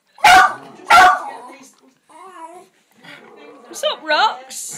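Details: Two Jack Russell terriers holding a barking contest on a birthday: two sharp, loud barks open, then a person talks and high, wavering whines and yips follow near the end.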